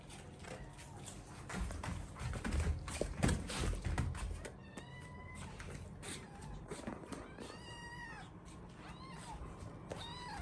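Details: Kitten kept in a multi-pet home with a large dog, during the morning routine; after a stretch of low rumbling handling noise, several high, arched meows arrive in the second half, some rising then falling.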